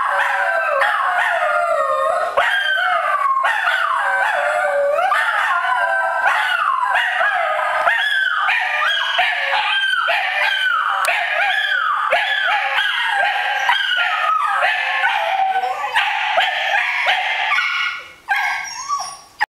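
Two Scottish terriers howl together in sliding, wavering yelps that rise and fall, overlapping almost continuously.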